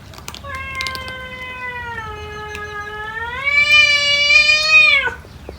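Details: A cat among many cats eating food gives one long, drawn-out meow lasting about four and a half seconds, steady and slightly falling at first, then rising and growing louder before stopping abruptly.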